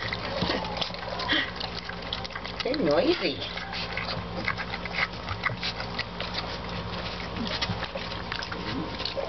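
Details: Hungry Weimaraner puppies squeal, grunt and whine in a busy jumble while messily feeding on milk, with a person talking.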